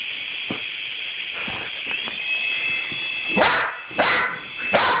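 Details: Rusty the dog barking at a toy helicopter: three loud, harsh barks in the final two seconds, roughly half a second apart, after softer clicks, all over the helicopter's constant high-pitched motor whine.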